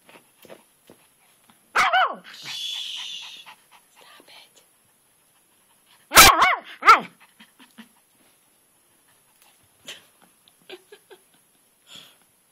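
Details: Obsessed with a rock in the flower bed, Twitch the dog circles it in the rain: sharp, loud single barks and a quick pair far apart, with a hissing burst and soft background sounds.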